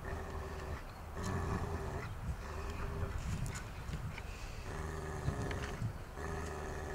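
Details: Akita Inu known for aggression with bites, assessed at 6.5 on a ten-point risk scale during rehabilitation work, utters sustained low droning growls in several stretches separated by brief breaks, amid faint clatter and background hum.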